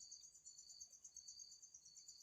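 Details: Insect trapped inside a bottle at home, giving a faint, steady, very high-pitched buzzing trill that runs unbroken from start to finish, with no other sounds.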